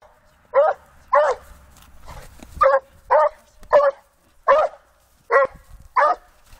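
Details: A Rhodesian Ridgeback confronting wild boars gives a fast, uneven run of loud, rough, full-throated barks, about one every half second to second, with a faint low rumble in the background.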